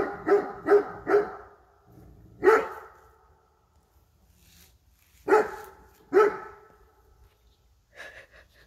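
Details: A female Great Dane, scared of a bear statue in a garden, barks in alarm: three rapid, booming woofs, then single heavy, resonant barks a few seconds apart, with faint human laughter near the end.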